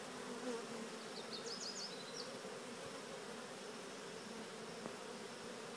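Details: Honeybee swarm walking into an experimental Cathedral Hive during a swarm install, guided rather than shaken in; steady dense buzzing hum throughout, with a brief faint high chirping overhead near the start.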